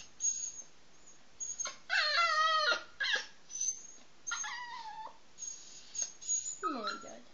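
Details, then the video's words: Pet poodle crying and begging for food from people eating at the table: a run of high, wavering whines and squeaky yelps, some sliding downward, broken into short bursts over seven seconds. "Begging for food"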